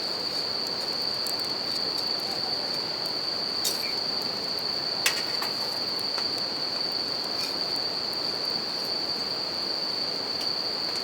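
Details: Continuous high-pitched ringing of bell crickets near a river and crackling campfire in natural surroundings in Japan; the insect tone holds level the whole time under loud flowing water, with scattered snaps of burning wood, one louder pop midway.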